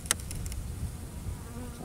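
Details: Strong Carniolan honey bee colony that came through a terrible winter, heard in an open hive in Illinois on 4 March 2010 at 40 degrees. A sharp click opens a low, even, droning hum.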